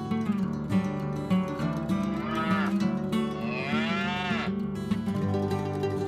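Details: A tame cow, walking and eating grass, gives a long, drawn-out moo over steady background music.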